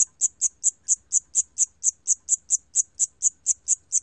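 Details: Cricket from a 2020 National Institute of Biological Resources recording: about sixteen crisp, high chirps in four seconds, each short and evenly timed, with a faint low rumble beneath.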